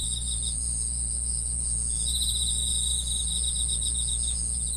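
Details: Chorus of insects keeping up continuous high-pitched chirping, a shrill sustained tone layered with rapid pulsed trills, one lower trill starting partway through, all above a steady low droning hum.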